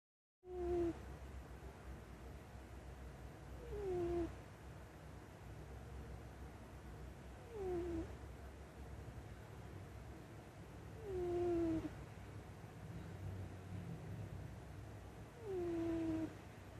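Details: Domestic cat snoring while asleep on a person's lap: five short whistling snores, each gliding downward, repeated about every three to four seconds over a steady low rumble of breathing.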